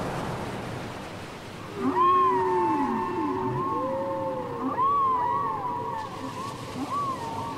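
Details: Whale singing, taken from a cassette: long, wavering mid-pitched moans with harmonic overtones, some bending upward then sagging, overlapping in slow succession above a soft watery background.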